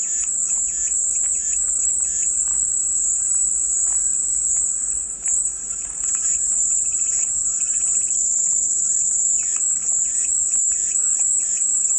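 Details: Steady cicada chorus offered as soothing white noise, a dense high-pitched whine that barely wavers, with soft bird twitters in the background and a brief dip near the middle.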